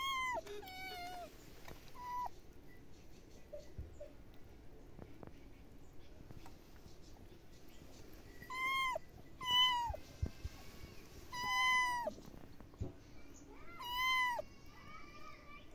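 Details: Domestic cat meowing repeatedly, each meow a clear bending whine that rises and falls, coming in spaced bursts roughly every two to three seconds, with a quiet hum behind.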